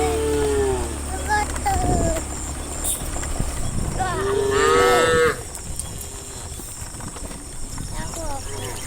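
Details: Dozens of tame cows walking through a forest toward a farm pen in the morning; several harmonic moos, one long loud bellow mid-clip, over steady insect hum and rustling.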